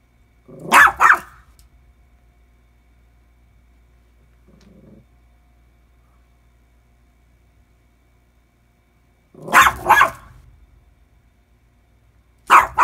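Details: Lucy the dog barking at the washing machine, a daily habit: a double bark, a long quiet gap with a faint low murmur, then two more sharp doubled barks near the end.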